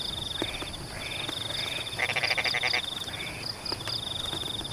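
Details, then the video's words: Frogs calling in rain over rice-field paddies in Pematang; a chorus of pulsed croaking bursts repeated every second or so, with a loud rattling run midway, over a steady high trill and constant drizzle hiss. "The sound of rain water in Pematang rice fields is in tune with the sound of frogs"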